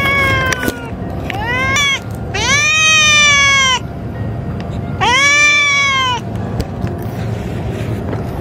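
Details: Female stray cats in an all-female colony threatening one another at feeding time; long loud harmonic yowls lasting over a second each, one wavering, interspersed with shorter cries over constant low background noise.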